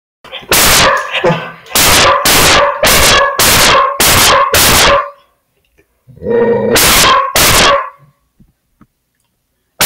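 A dog barks in a rapid series of loud, sharp barks, then pauses and barks twice more.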